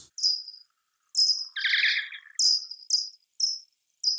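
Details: Common pipistrelle (Pipistrellus pipistrellus) in an urban setting, echolocation calls around 50 kHz made audible by a bat detector as a run of short, sharp, downward-sweeping chirps; used to navigate in the dark and locate prey.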